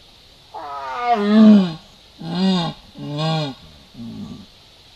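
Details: Jaguar (yaguareté) roaming Salto Encantado over a weekend: four deep, harmonic-rich roaring calls, the first longest and wavering, then two shorter strong bursts and a fainter closing one, with a quiet background.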